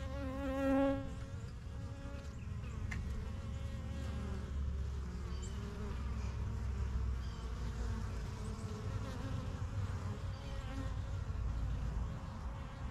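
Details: Honey bees flying in and out of a new backyard hive, the strongest of a first few hives begun in spring 2023; one bee buzzes loudly past at the start, then a soft hum continues over heavy low rumble.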